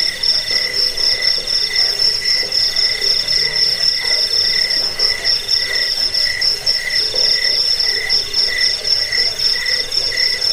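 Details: Cricket chirping, offered as a recording to repel rats, lull listeners to sleep and train songbirds; dense, steady high-pitched trilling pulses layered in bright bands, with a fainter rasping hum underneath.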